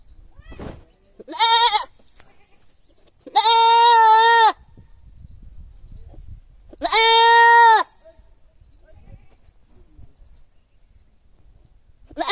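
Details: Goat screaming loudly: long, harsh, strained bleats of about one second each, three loud cries with quiet pauses between, plus one more starting at the very end.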